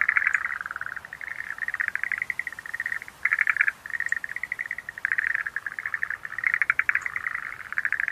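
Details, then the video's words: Schlegel's green tree frogs croak in continuous overlapping trills of quick pulses, steady in pitch, one short gap near three seconds, with rare faint high clicks. "Sounds of nature scenery-Rhacophorus schlegelii"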